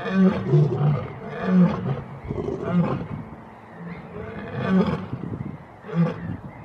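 A lion roars in deep, throaty pulses, each heavy grunt following about a second after the last. The low, booming sound rises and fades in waves, with a little background noise.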